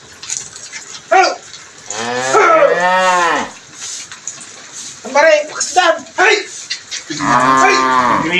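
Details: Two Brahman cattle lowing: a long, arched moo rising then falling around two to three seconds, shorter broken calls midway, and another full moo at the end, with faint voices and music nearby.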